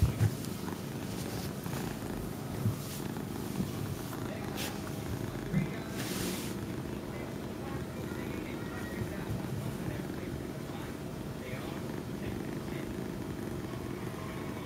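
A Chinchilla cat purrs with a steady, low rumbling throb, broken by a few soft rustles.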